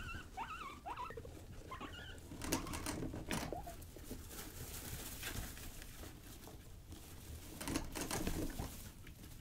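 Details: Young pet guinea pigs Rosie and Buddy at play give a few bright, wavering squeaks at the start, followed by scuffling, pattering feet and bumps.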